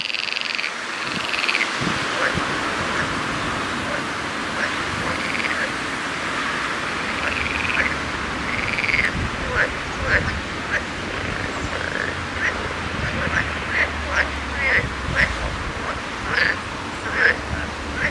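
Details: Many frogs calling together in a dense, continuous chorus: short nasal croaks and brief upturned notes overlap constantly above a steady rushing background din, growing more pulsed and louder toward the end.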